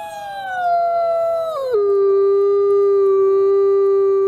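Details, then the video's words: Captive-born gray wolf Nikai at the Wolf Conservation Center, South Salem, New York, howls loudly: a sustained tone sliding gently downward, dropping abruptly midway, then holding a lower steady pitch to the end. "Beautiful Wolf, Beautiful Howl."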